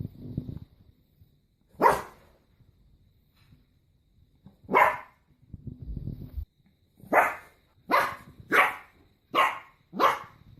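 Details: Dog barks singly at first with long pauses and low rumbling noise between, then speeds into a run of five sharp barks about half a second to a second apart.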